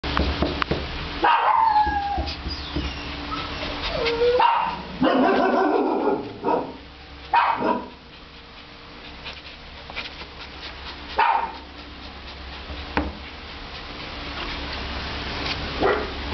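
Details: Six-year-old black and white female Chihuahua mix at an animal shelter in Phoenix, Arizona: scattered high whines and short yelping sounds with falling pitch, separated by pauses, over a steady mechanical hum.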